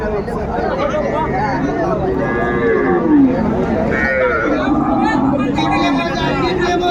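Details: A cow at Amabari cattle market in Dinajpur, sold along with calves on 24 May, gives a drawn-out moo that slides downward, amid the steady chatter of a busy crowd of traders.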